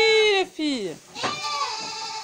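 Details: Miniature goats on a breeding farm in June 2022, during the kidding season with births ongoing. Loud quavering bleats: a short wavering cry, then a second bleat falling sharply in pitch, followed by a longer trembling bleat that holds steady.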